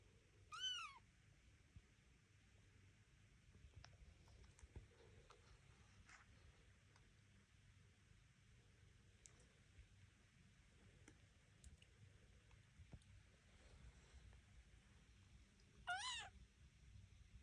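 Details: Young Devon Rex kittens exploring a room on wobbly legs, their mother Elma nearby; a thin, high kitten mew opens, then a long quiet stretch of faint rustling and clicks before a second mew near the end.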